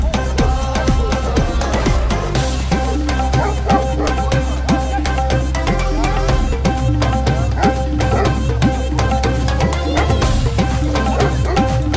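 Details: Loud folk music with steady tabla-like drumming and melodic instruments fills the whole stretch, with no animal sound.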